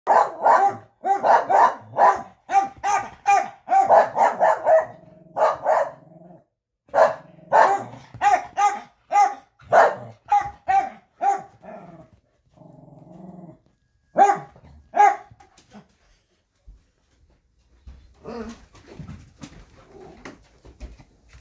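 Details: Two Wheaten Terriers barking at a window, a fast run of sharp repeated barks for about ten seconds, then a low growl, a few more barks, and quieter scattered sounds at the end.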